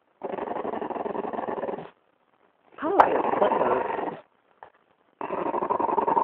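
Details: A French bulldog growls at a person's foot in long, rough, rumbling bouts separated by brief pauses.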